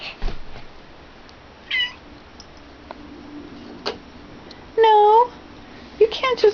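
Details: Domestic mother cat indoors after carrying her kittens into a child's crib, where the boy plays with her. A few short meows, with one loud, clear, drawn-out arched meow midway. An adult talks over it.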